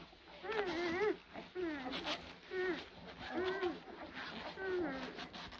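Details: Young blue Great Dane puppies, born April 2023, give clear, nasal whines. Each arcs up and then down, about five cries spaced roughly a second apart, with faint rustling between them.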